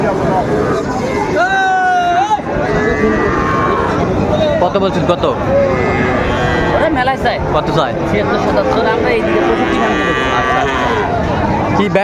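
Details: At a Mymensingh cattle market, Bangladesh, 30 May 2024, Sahiwal bull calves give one sharp rising bawl early on, then fainter drawn-out moos beneath loud, steady chatter from the crowd.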